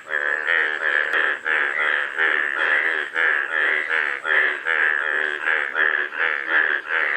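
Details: Rapid pulsed croaking from golden frogs, notes crowding together at well over two per second, loud and unbroken, with a thin high tone running behind.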